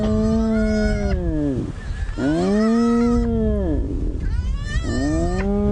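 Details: Spotted hyenas greeting each other at a busy den in Djuma Game Reserve, Sabi Sand, South Africa, at sunrise on 20 October 2017: loud arched groaning whoops, each rising then falling, three in about six seconds, rich in harmonics.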